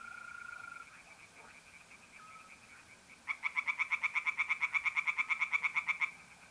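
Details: Tree frogs singing by night in a pond in north-eastern Italy in mid-April. After a steady high trill from mole crickets, a frog starts a fast run of rasping knocks, about seven per second, lasting nearly three seconds.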